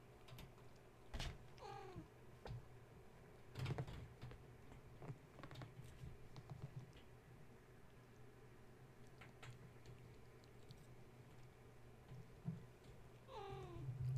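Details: Gaia's kittens, roused from sleep at bedtime when a space heater was plugged in and now climbing and playing around the kennel, give two short, high arching mews far apart, over a steady low hum and scattered clatter.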